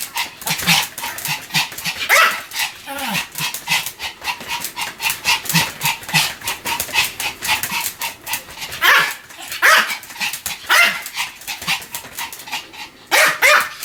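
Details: Pomeranian named Sam keeps up nonstop barking: fast, regular high-pitched yaps, several a second, punctuated now and then by louder, shriller barks.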